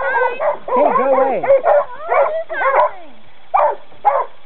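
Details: Coon dogs during a training session give loud, harmonic bawling barks with drawn-out, bending tones, then shorter separate barks spaced about half a second apart toward the end.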